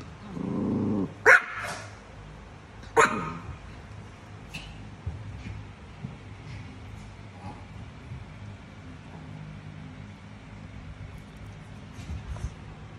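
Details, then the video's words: Chihuahua barking at a cat: a low growling rumble opens, then two sharp, broadband barks about two seconds apart, followed by a long quiet stretch with only faint clicks and soft background noise. "Cute Chihuahua Dog Barking At A Cat"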